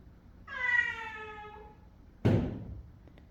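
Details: A cat, described as wanting to go outside, gives one drawn-out harmonic meow lasting about a second, then a sharp thump follows.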